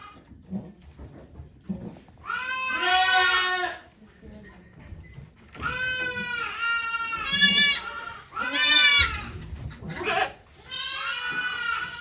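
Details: Birth of two goat kids to Okayu at Yoshigake farm, Japan, 3 May 2023, volunteers present: drawn-out, shaky bleats repeated several times over twelve seconds, separated by gaps with faint rustling and low voices.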